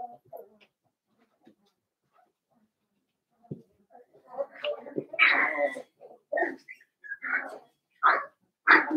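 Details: Five young blenheim Cavalier King Charles Spaniel puppies, born at New Year, in an indoor pen: quiet rustles first, then a rising chorus of squeaky whimpers and short high yelps, coming faster and louder toward the end.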